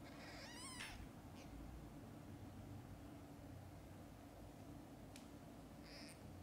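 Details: Mother domestic cat with her newborn kittens, filmed from birth until their eyes open; one short, high, wavering mew with rich overtones near the start, then a quiet steady room hum with a couple of faint clicks.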